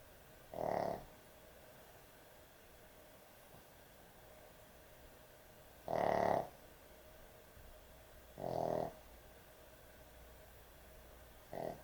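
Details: Sleeping dog, an excessive snorer, at bedtime: four gruff, vibrating snores at uneven gaps of about two to five seconds, each short and strong, separated by quiet steady background noise.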